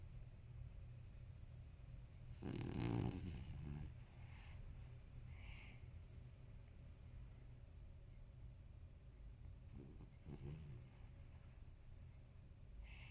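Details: Elderly male Toy Poodle, thirteen, asleep indoors and snoring heavily: one long, loud rasping snore near the start, then a steady low hum, and a second, shorter snorting burst later, over a quiet room.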